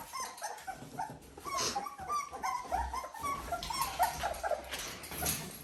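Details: Litter of Dalmatian puppies at 17 days, indoors; many small squeaky whimpers overlapping in a steady chorus of thin rising and falling cries, with shuffling and a low thump in the background.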